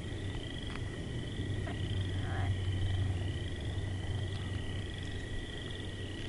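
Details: Frogs croaking in a low, continuous pulsing rumble, with steady high-pitched whining tones from other calling creatures running throughout.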